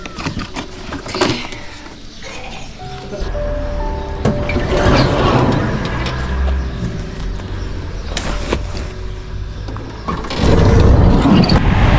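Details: Music plays over traffic noise, a door sliding and scattered knocks and clatter.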